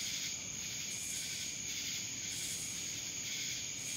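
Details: High, continuous buzzing of cicadas from Dallas, Georgia, with a sustained whine and three swelling pulsed bursts, each lasting under a second.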